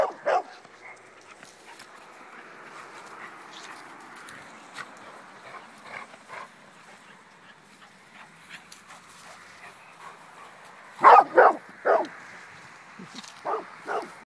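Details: English Springer Spaniel from Connecticut playing indoors: an opening bark, a long stretch of low background hum with faint yips, then a loud cluster of three barks followed by two more spaced barks near the end.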